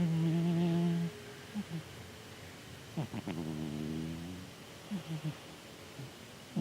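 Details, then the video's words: Chataro the cat snoring in his sleep. A steady, hum-like low drone opens the clip and is followed by a rougher, wavering snore around the middle. Small snuffles and clicks fill the pauses. "猫のいびき いびきをかいてねるチャ太郎くん"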